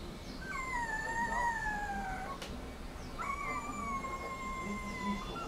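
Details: Rottweiler puppy whining: two long, high, tonal whines, the first wavering slightly and sliding down, the second held almost level for about two seconds, over a steady low background rumble.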